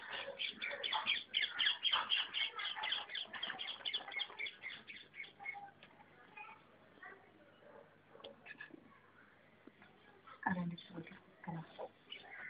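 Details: Puppies give rapid, high-pitched squeaks and whines, densely overlapping for the first six seconds, then sparser, scattered cries with a few louder yelps near the end.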